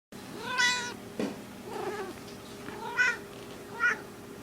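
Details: Small female domestic cat in heat, indoors, giving a short harmonic meow then fainter chirping calls, three brief bright cries spread over four seconds with quiet room noise between.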